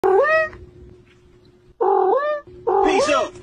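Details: Cat giving three long, drawn-out, sing-song meows, each rising then falling in a wavering arc, the last one louder and more strained.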